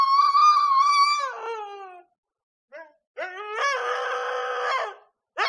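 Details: Female Siberian husky in her heat period, kept in a village and howling nightly: one long steady howl that falls away at its end, a short yelp, then a second strained, rougher howl.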